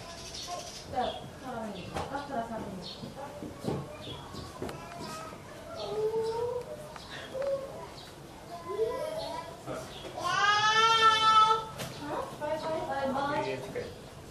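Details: A white-handed gibbon at Ueno Zoo calls with loud, sliding hoots that rise and fall, with crowd chatter behind.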